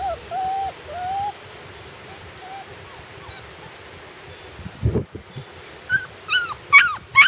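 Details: Puppies on their first day outside: soft, thin whimpers at first, then a short thump and a run of rising, high yips toward the end.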